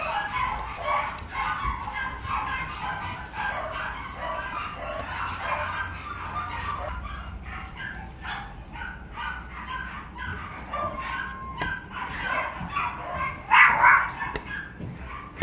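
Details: Puppy at a breeder, giving rapid, irregular short barks and yips, several per second, with a brief louder burst near the end, over a steady low background hum and faint voices.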